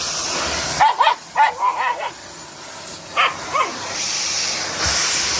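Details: White Shiba Inu dogs, Mochi and Kome, kept in a mountain home, barking at a vacuum cleaner: a quick burst of four or five high, yappy barks, then two more after a pause, over steady hissing machine noise.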